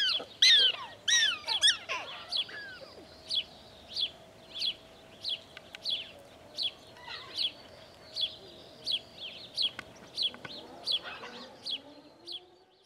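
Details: Prairie dog at Out of Africa park, Camp Verde, Arizona: a burst of rapid overlapping squeaky chirps opens, then settles into a steady run of short high barks at about one and a half per second, with a faint low hum behind.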